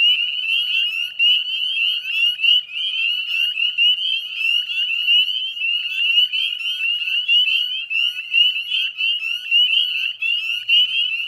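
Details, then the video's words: Dense dusk chorus of northern spring peepers, Chezzetcook salt marsh, Nova Scotia, Canada, mid-May 2020: countless shrill rising peeps layered into an unbroken high wall of sound with uneven swells. "Northern Spring Peeper Chorus"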